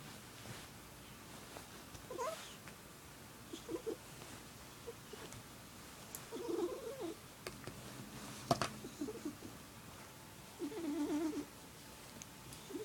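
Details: A pet cat named Squirrel, a male who makes this sound only for one family member, gives a girly warbling purr: short wavering tonal bursts spaced several seconds apart, the longest near the end. The room is otherwise quiet, with faint clicks.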